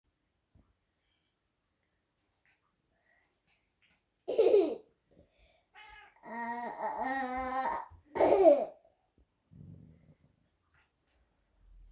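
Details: A toddler babbles and giggles in a small quiet room, with short bursts of voice separated by silence and no animal sounds.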